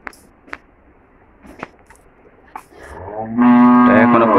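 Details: Cattle on a farm in Chhoto Gharmora, Homna, Comilla, where cows and twin heifer calves are being sold. Scattered clicks and knocks come first, then one loud, low, harmonic moo holds steady for about a second at the end.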